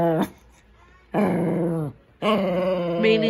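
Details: Indoor Shih Tzu 'talking' to its owner: a brief low call, then two drawn-out harmonic growling moans with falling ends, a person's voice nearby.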